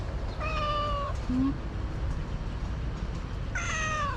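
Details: Orange stray cat being fed outdoors, giving two drawn-out harmonic meows about three seconds apart, the first level and the second slightly falling, over a steady low rumbling background.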